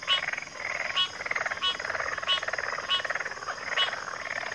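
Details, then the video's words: Crowded frog chorus in which loud staccato pulses repeat about once a second, layered over overlapping grating trills from nearby callers. "FROGS - Pig Frogs, Water Frogs, Backwater Chorus, & Frog Chorus"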